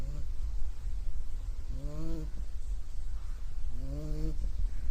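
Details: A puppy snoring in its sleep: two drawn-out, squeaky nasal tones gliding upward, about two seconds apart, over a strong low-pitched rumble.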